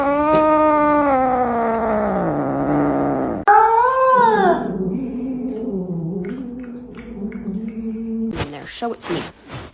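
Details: Domestic cat in a funny pet compilation gives a long, drawn-out wavering meow lasting about three seconds, then a shorter rising-and-falling meow, followed by low murmuring and a few sharp clattering knocks at the end.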